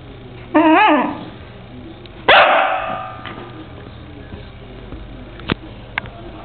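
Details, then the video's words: Basset Fauve dog that wants to play gives two loud barks about two seconds apart, the first a wavering, whine-like yelp, the second sharper and falling, followed by a few faint clicks over a low steady hum. "Basset Fauve wants to play"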